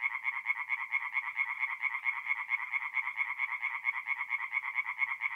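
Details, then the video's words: Nighttime forest pond in North-East Italy, mid-April, full of singing tree frogs; quick rhythmic croaks, roughly two pulses a second in clear loud beats, layered over a constant rasping chorus. "relaxing forest pond by night with singing tree frogs"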